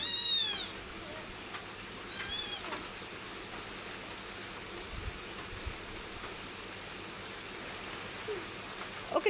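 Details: Pet cat giving two high, falling meows in the first few seconds, then quiet with steady background hiss and a faint click at the end.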